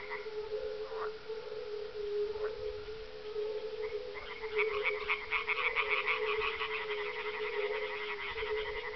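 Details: On a mild evening at dusk, 30 May 2011, a single edible frog joins in with loud, rattling croaks over a steady chorus of low, mellow fire-bellied toad calls. The site is a kettle-hole pond amid farmland near Parstein, Schorfheide-Chorin, northeast of Berlin.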